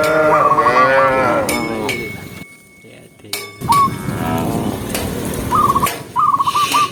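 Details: A tame cow walking through a green forest gives a long, wavering moo, with the clink of a bell between calls.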